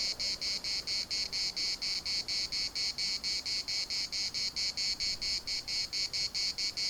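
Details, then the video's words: Municipal park in Larnaca with cicadas in full song: piercing high buzzing chopped into regular pulses, roughly two per second, steady and unbroken over the whole stretch. "CICADAS at the municipal Park Larnaca"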